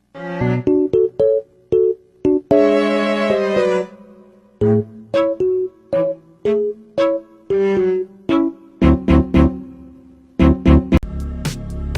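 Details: Bright piano music plays in short, choppy phrases of notes and chords, with no animal voice.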